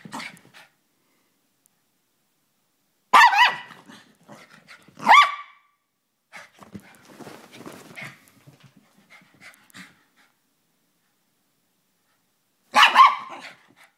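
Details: Hyper Chihuahua yapping: sharp high barks at about three, five and thirteen seconds, with soft scuffling and panting between them.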